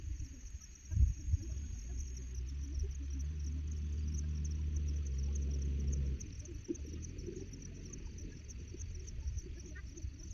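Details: Free-grazing Charolais-cross cattle on a hillside ruzi-grass farm in Chiang Mai province, Thailand. A short thump comes first, then a sustained low moo swells from about two to six seconds, droning and even, before giving way to quiet outdoor background and a steady high insect hum.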